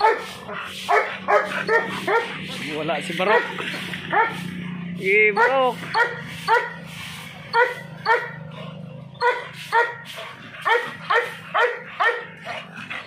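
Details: American Bully dog giving a long run of short, sharp, high barks and yips in rapid succession, several per second at times, with brief pauses, over a steady low background hum.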